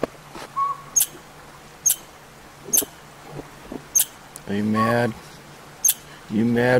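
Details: A squirrel in backyard woods scolds with sharp, dry chips about once a second, agitated by a robin-sized northern pygmy owl nesting in a nearby hollow tree, while a man talks over part of it.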